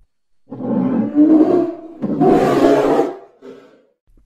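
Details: Polar bear giving a deep, throaty growl lasting about one and a half seconds, then a louder, harsher, breathy roar, followed by a short low grunt.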